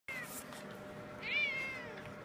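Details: Cat meowing: a brief high note, then a thin, high meow that rises and slowly falls, over faint room noise.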